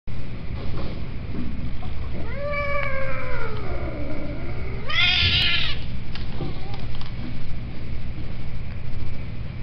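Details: A cat gives a drawn-out meow that falls in pitch over about two seconds, then a shorter bending cry. A steady low hum and background noise run throughout.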